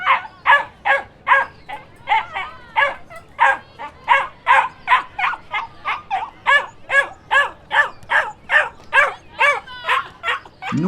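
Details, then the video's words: A dog barks in a steady run of short, high yaps, roughly two or three each second, with each bark sounding much like the last and no other clear sounds behind it. "Som de Cachorro e Cachorrinhos Latindo"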